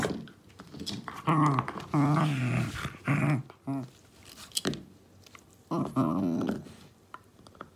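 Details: Two-year-seven-month-old female Shiba Inu playing a wild-beast game indoors, growling while biting and grabbing a deer antler; low rumbling growls in bursts of about half a second to a second, with pauses and a soft voice between.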